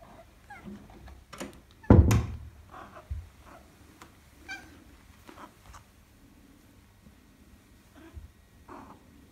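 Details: Madoka, a pet Maine Coon, greeting her owner on arriving home on 4 December 2019: several short, soft chirping meows scattered through the clip, with a loud thump near two seconds and faint handling noises indoors.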